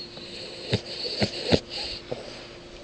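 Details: Diego, a cat with sleep apnea, snoring while asleep indoors: short, rough, broadband snorting breaths, four bursts in about three seconds, the third loudest, over a faint steady room hum.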